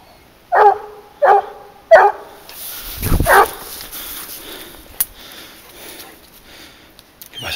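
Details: Garuo, a 22-month-old hunting dog working on a leash while tracking wild boar, gives three sharp, harmonic barks in quick succession, about two-thirds of a second apart, followed by rustling, wind and handling noise.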